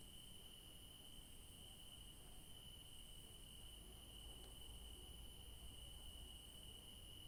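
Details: Garden crickets at night sing a steady, ringing high trill without pause, backed by a faint higher shimmer; a single tiny click cuts through midway, with low background rumble.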